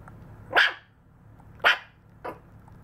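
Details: A 52-day-old Maltese puppy gives three short, high yapping barks, spaced about a second apart.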